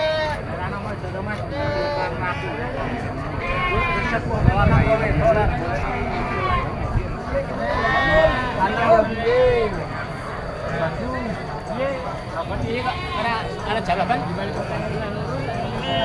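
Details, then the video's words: At a busy goat market, several kid goats bleat repeatedly with tremulous, nasal calls, clustered around four and eight seconds, mixed with loud human voices and general crowd noise. "Suara anak kambing embek"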